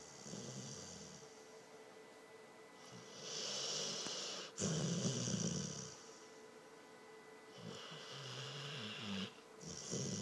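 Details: Morena, a pet dog, asleep and snoring loudly: long raspy breaths in and out, each lasting about a second or more, alternating low rumbling and hissy phases, repeating steadily over ten seconds in a quiet room.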